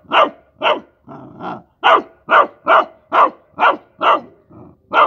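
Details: Rottweiler puppy playing with mice, giving a fast run of sharp, high puppy barks about twice a second, with two softer, lower growly barks mixed in between the loud yaps.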